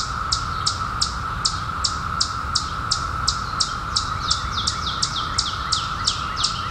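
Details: Chorus of periodical cicadas emerged in 2021 after a 17-year hiding: a constant mid-pitched buzzing drone, with sharp descending high chirps repeating rapidly and regularly on top.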